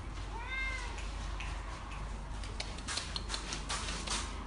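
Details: A cat meows once near the start, a short, bright call that rises and then falls. Clattering taps and a steady low hum follow.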